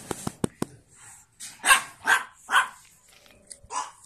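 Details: Pug puppies born 9 April 2017: four sharp clicks open, then three loud, rough yapping barks in a row and a last softer yap.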